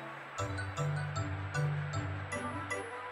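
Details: Background music with low sustained tones and light rhythmic beats, with no animal sounds audible.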